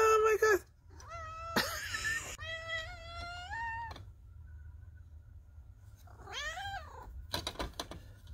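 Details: Sweet Pea, a female chocolate tabby cat, meows loudly indoors after clawing open closed shutters to wake her napping owner; several drawn-out, harmonic meows that rise and fall, some long and wavering, broken by pauses, with a woman's voice and a steady faint hum.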